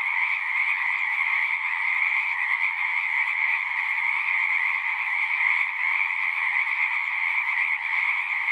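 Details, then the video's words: Frog chorus from a pasture pond, recorded with a Zoom 6: countless overlapping pulsing calls merge into a constant high-pitched wall of sound, steady in loudness from start to finish. "Frogs singing"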